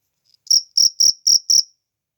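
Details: Cricket heard in nature producing five loud, shrill chirps evenly spaced about a quarter second apart.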